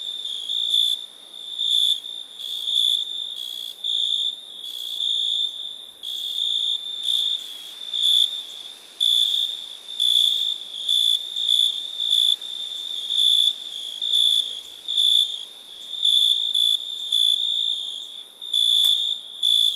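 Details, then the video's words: Crickets at night in India: a continuous shrill ringing trill overlaid with repeated pulsed chirp bursts that swell and fade about once a second. Several insects seem to call together over a soft hiss. "Night ambience cricket sounds"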